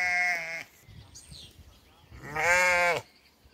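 A sheep gives two loud, wavering bleats, one short and one longer.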